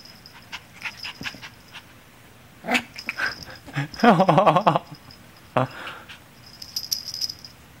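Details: Padi, an 8-week-old female Miniature Schnauzer puppy, wants to play indoors in a small room: short yappy barks, then a burst of rapid high growly yelps around four seconds, and one more sharp bark near the end.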